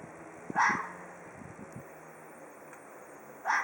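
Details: Hoarse, scratchy call of an Ezo red fox, given twice about three seconds apart, each a brief harsh burst; soft low knocks and rustles fill the gap.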